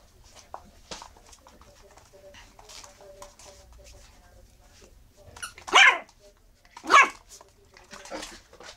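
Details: Eight-week-old Miniature Schnauzer puppies, black and black-and-silver: two short sharp barks about a second apart near the end, after soft scuffling, faint clicks and a murmuring voice in the background.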